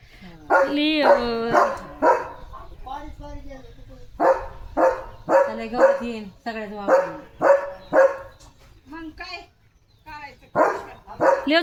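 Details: A pet German Shepherd, excited about a chicken chips treat, barks in loud bursts, some with a whiny rising-falling edge, in uneven runs. A person talks between them.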